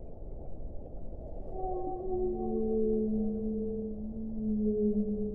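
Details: Whale song of long, smooth, slightly descending tonal notes layered at several pitches, rising out of a low rumble and swelling toward the end while continuing over steady underwater noise.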